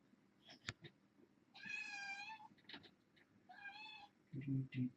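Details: Kitten from a litter of six, four female and two male, born August 29 to a family pet, meowing indoors while the kittens crowd around a webcam being replaced: two drawn-out, high, harmonic meows, the second shorter, then faint tapping and a low voice.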